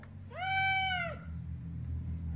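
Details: Domestic cat giving one clear meow of about a second, starting with a quick rise, holding a steady tone, then dropping off at the end, over a low indoor hum.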